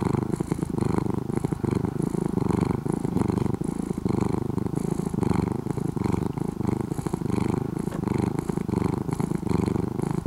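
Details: Former stray orange-and-white cat, still somewhat wild but mostly a house cat now, purring continuously and loudly: a gritty, motor-like hum pulsing with each inhale and exhale, close and dominant throughout.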